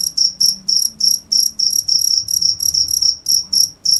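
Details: Cricket chirping loudly and steadily, high bright pulses repeated about three times a second with a fainter overtone above, over a quiet low hum.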